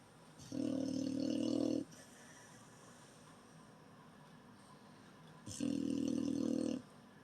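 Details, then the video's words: Beagle snoring: two loud, harsh, rumbling snores about five seconds apart, each lasting over a second, with quiet breathing between them. "Beagle Wally Snoring"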